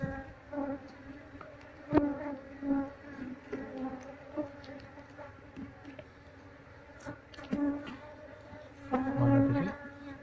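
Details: Steady low hum of a honey bee colony being moved into a cardboard box as the queen is located, punctuated by irregular clicks and brief louder buzzing bursts.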